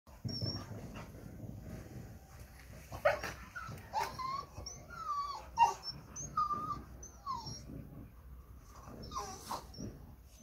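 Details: American Staffordshire Terrier making soft, high whimpering whines in short squeaky bursts, some rising and falling, over a low rumbling background with faint thin high chirps.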